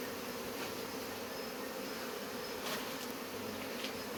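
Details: Close, loud swarm of honey bees during hive removal, an intense, unvarying buzz filling the whole clip with faint handling noises beneath.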